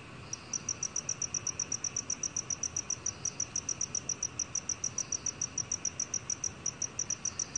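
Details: Black cricket recorded in 2020 by Korea's National Institute of Biological Resources: an unbroken stream of piercing chirps, roughly three to four each second, over a quiet hiss.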